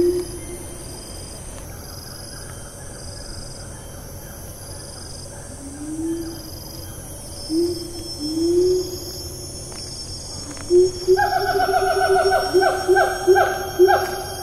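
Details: Siamang in Taman Negara National Park, Malaysia, recorded 4 April 2019 in rainforest: scattered rising hoots at first, then from about eleven seconds a quickening series of loud harmonic whoops, over a steady high insect drone.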